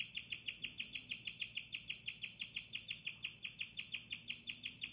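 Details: Night-time chirping from Bella, a caged pet guinea pig with a cage-mate. Her sharp, high chirps come in an even run of roughly three to four a second, each a thin tweet with a quick fall, over a quiet room.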